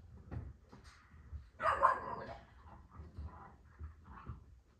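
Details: Female dogs at play inside a kennel; a single rough bark bursts out midway, framed by quiet snuffling, small whines and thuds from the romping animals.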